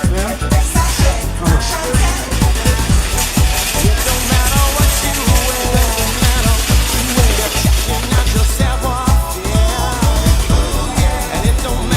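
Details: Upbeat electronic dance music with a strong steady beat and faint speech beneath it, and no dog or other animal audible.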